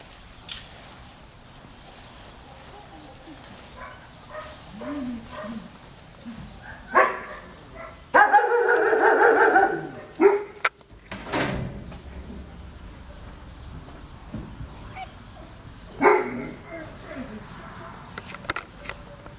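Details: Basset Hound from the Breen-Brass kennel in Ukraine, giving a few loud barks in the middle, one drawn out for about two seconds, with scattered softer noises and faint background sounds around them.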